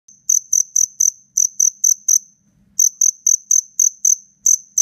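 A black cricket gives loud, pure, high chirps in quick bursts of several pulses while fighting a rival.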